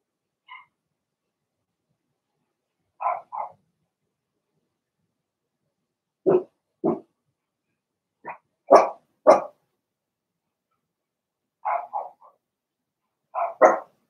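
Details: In an indoor puppy pen, Blenheim Cavalier King Charles Spaniel puppies from Remy's first litter bark in sharp, loud pairs and triplets, some barks clipped and explosive, scattered irregularly.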